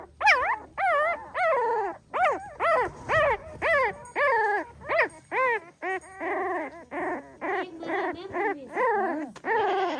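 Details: Pahadi dog mother with her puppies, staying watchful over them: rapid overlapping high whimpers and yelps, each a rising-then-falling whine, pouring out almost continuously, with several voices crowding together.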